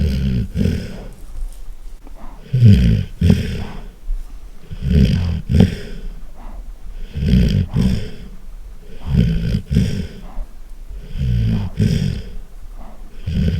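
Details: Pet golden retriever snoring very loudly; deep rumbling, rattling snores in pairs of inhale and exhale, repeating roughly every two to three seconds, with heavy low-pitched breathy noise throughout.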